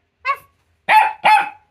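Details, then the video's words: Jack Russell Terrier in a playful barking competition with its owner: one short bark, a pause, then two louder, fuller barks in quick succession, with nothing else in the background. "A BARKING COMPETITION With Our Jack Russell"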